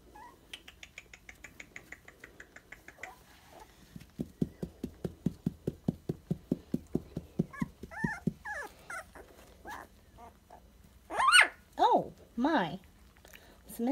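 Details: Young Dachshund pups, sandstone coloured and 23 days old, first give thin harmonic squeals, then a fast run of pulsed grunting whimpers. Louder sweeping whining yelps rise and fall near the end, in a quiet room.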